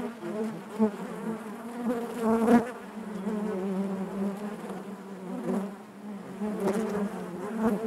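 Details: Honey bees inside their hive, a dense continuous hum with a strong low drone and stacked harmonics, swelling and fading as nearby bees pass close, with a few sharper ticks and thumps.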